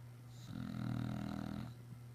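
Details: English Bulldog snoring after a busy day outside running around: one long, rough, low rumbling snore lasting over a second, swelling and fading, with a steady low hum in the room.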